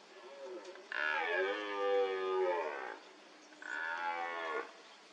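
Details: A red deer stag at a mud wallow during the rut gives two hoarse, bellowing roars. The first is long and slowly falling, the second shorter; both are deep and strongly harmonic, with a brief quiet gap between them.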